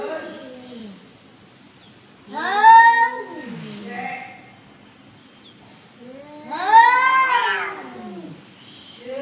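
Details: Talking cat, 2020: two strong arched meows about four seconds apart, each bending up then sliding down, with faint softer murmurs in the gaps.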